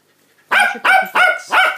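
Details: Cockapoo barking at feeding time, Rosie, mother of a litter of cockapoo puppies born 5 August 2016, here on day 49: four loud, sharp barks in quick succession, about three per second, harmonic-rich and clean with no background noise.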